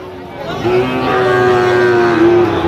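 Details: A Sahiwal bull calf at a Jamalpur cattle market, Bangladesh, on 31 August 2025, lets out one long, steady, low moo lasting about two seconds and ending with a slight upward lift. Market murmur sits faintly behind it.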